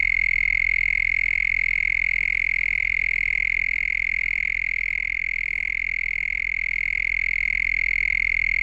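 A field cricket chirps in a steady, high, ringing trill of rapid pulses.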